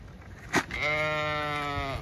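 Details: A Zwartbles ewe bleats as the flock is moved across a farm in County Kilkenny, Ireland, to a shed to dry off for dagging; one long, wavering, nasal bleat after a brief thump.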